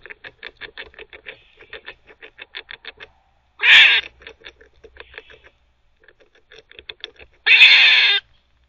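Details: Squirrel barking while teething: a run of quick, dry ticking clicks from gnawing, broken by two loud, harsh, noisy bark bursts, each under a second long and several seconds apart.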